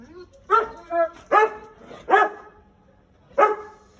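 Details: American Akita in Gurgaon, described as a dangerous dog, barking: five short, hoarse, forceful barks in an uneven series, the first four close together and the last after a one-second pause, with a man's voice before and after.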